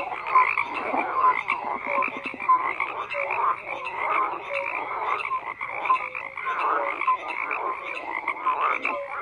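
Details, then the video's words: Continuous chorus of croaking frogs: rough, buzzy croaks overlapping with brief high whistled peeps, a busy unbroken mass of calls with rhythmic swells, no background sounds besides the frogs. "FROGS CROAKING"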